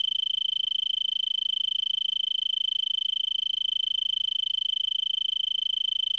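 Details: Arizona tree cricket stridulating from a brittlebush in Vail, Pima County, Arizona, around 5 PM on December 26, 2022, at 3300 ft and about 70°F, before sunset after an hour of singing: a steady, high, unbroken pulsing trill.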